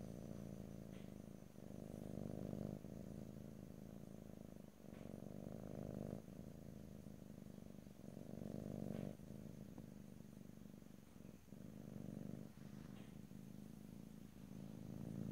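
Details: Continuous low purring from a domestic cat in a stereo ear-to-ear recording with no talking. The rumble rises and falls rhythmically, breaking into about eight breath cycles separated by short pauses every one and a half to two seconds.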